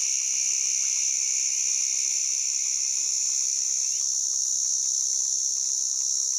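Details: White drummer cicada (Arunta perulata) calling: a loud, unbroken high-pitched buzzing drone held steady throughout, with a fainter lower hiss band that drops slightly in pitch near the end.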